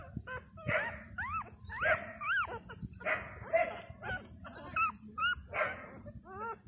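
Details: Two-day-old Thai dog puppies from a litter of five, with their mother, cry for milk in repeated arched squeaks that rise then fall, some doubled, about every second, against a constant high-pitched hiss.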